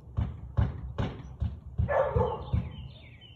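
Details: Husky recorded on 13 March 2021 at 4:17 pm, giving a rapid, uneven series of deep, punchy barks, with a brief higher squeal in the middle and faint bird chirping near the end.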